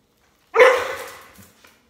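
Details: Border Collie barking while its owner jumps rope: one loud, sharp bark that starts suddenly and fades over about a second, followed by a faint soft tail sound.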